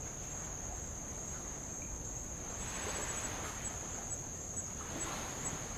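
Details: Insects on Avalau island, Kingdom of Tonga, heard while rowing around the island over old lava: a steady, shrill high-pitched drone holds unbroken throughout, with soft washes of light waves swelling near the middle and end.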